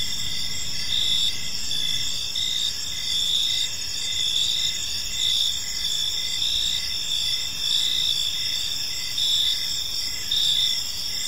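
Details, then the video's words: Gentle chirping of crickets in a serene park as evening unfolds; layered high trills form a continuous shimmer, punctuated by regular swelling pulses about once a second, with faint low background rumble. "Cricket Sounds in a Peaceful Park"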